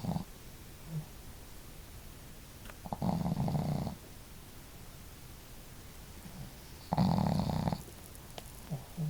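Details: Sleeping household dogs Marimo, female and a heavy snorer, and Daigoro, a modest snorer; strong rattling snores about four seconds apart, each near a second long, with small soft snuffles and breaths in the pauses.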